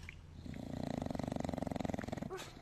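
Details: Dog snoring in a funny home moment: a steady rhythmic rasping snore, pulsing quickly for about two seconds with a low rumbling buzz, ending with a brief sharper sound.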